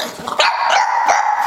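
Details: Pet female pug named Angel, indoors, performing an 'I love you' trick on cue: after a few soft snuffles, a drawn-out, steady, whining howl-like tone holds for over a second, rising sharply at its starts.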